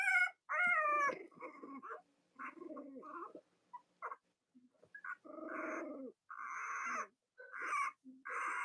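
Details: Several Cavalier King Charles Spaniel puppies, litters of Robin and Myra, on a chilly US Monday morning before Halloween, giving overlapping nasal whines and squeaks, some long and wavering, others clipped, with brief quiet gaps.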